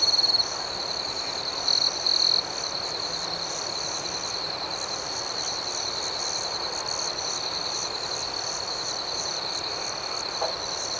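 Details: Chirping crickets in the night: a constant piercing trill and rhythmic higher pulses, with two short louder tones near the start, over faint hiss.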